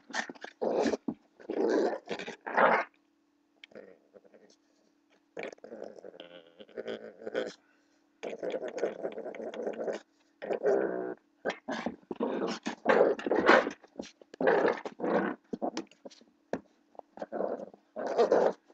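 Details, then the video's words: Playful growling from a blue American Pit Bull Terrier puppy wrestling with its owner. Harsh, gravelly growl bursts repeat about every second, with short gaps, sometimes rising into snarly peaks, and steady throughout. "blue pitbull puppy fighting with me"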